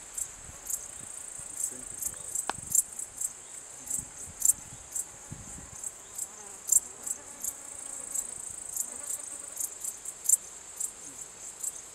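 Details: Male Transylvanian bush-cricket (Pholidoptera transsylvanica) calling song, recorded 14 July 2013 at Cosia, Romania: short high-pitched chirps repeated irregularly, roughly every half to one second, over faint low background rumble.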